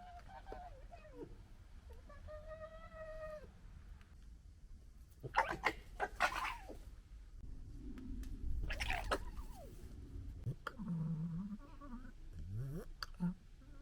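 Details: A local family of red foxes gekkering and fighting in disagreement: a stuttering, throaty chatter broken by whining, cat-like wails and harsh bursts.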